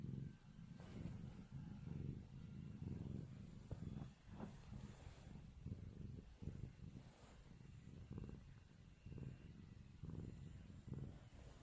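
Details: A kitten purrs as someone rubs its face, a steady low rumble pulsing in short breaths throughout, with faint high hiss and occasional rustling of handling.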